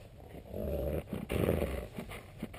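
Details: Husky, Alsatian and Alaskan malamute cross dog growling while being teased by its owner: two low, rumbling growls, each roughly half a second long, split by a short pause, with faint handling noise.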